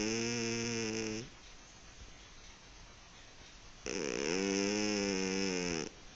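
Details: A kitten asleep and snoring, two drawn-out harmonic snore breaths, the second starting with a quick wavering rise before holding steady, separated by a quiet breathy gap.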